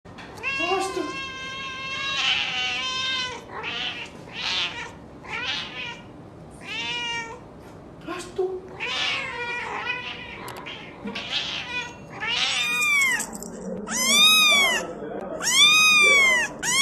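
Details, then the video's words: Cats meowing loudly in a compilation, many short harmonic mews in quick succession, some rising and falling, later a run of high, arched squeaky meows near the end. "cats meowing loudly cats meowing happy cats meowing sound effect Funny cats"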